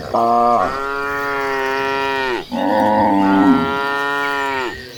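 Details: Cattle herd running across green pastures: two long, loud harmonic moos, each steady then sliding down at the end, the second coarser and rougher, filling the whole stretch with a brief dip between them.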